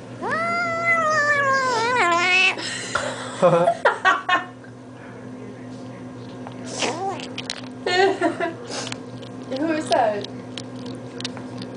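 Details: Eight-week-old kitten Allan squeals while eating treats, a long, high, wavering cry that bends upward and then falls, followed by shorter, choppy 'yum yum' bursts. A woman speaks to him softly in between.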